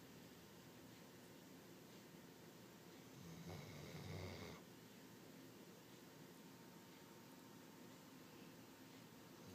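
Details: Shasta, a pet dog who snores all the time, lets out one drawn-out snore lasting about a second: a low rumbling breath with a raspy upper edge, set against the steady faint hum of a quiet indoor room.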